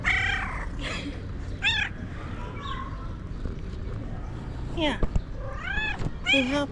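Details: Cat meowing to attract other cats: scattered arched meows, a few short and high, a cluster near the end, amid a person talking and low background hum.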